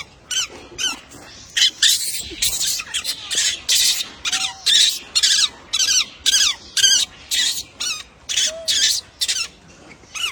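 A monkey gives harsh, high-pitched squawking calls in rapid bursts, about two each second.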